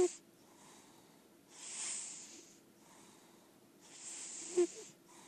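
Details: A senior female lilac point Siamese cat, an indoor-only cat, snores loudly, breathy hissing rasps rising and fading roughly every two seconds.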